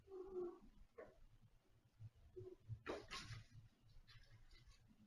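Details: Domestic cat indoors in a small living room, giving one short, mid-pitched harmonic meow at the start, followed by a brief fainter call, a burst of rustling noise and a low steady room hum.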